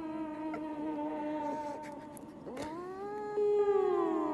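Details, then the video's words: Cat vocalizing into a microphone: a long, drawn-out tonal yowl that holds steady, dips, then rises into a louder wavering note. "Chat parle dans un micro"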